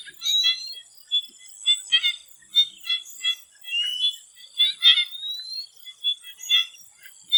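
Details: A chorus of frogs in a swamp ahead of sunset gives clustered clicking croaks in quick bursts. A few rising whistled notes slide through, and a continuous high-pitched drone sits underneath.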